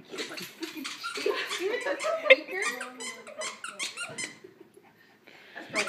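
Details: Buddy, a four-year-old terrier carrying his squeaky toy and wanting to bark at and chase a laser, gives muffled, squeaky barks through the toy in his mouth, with people talking nearby.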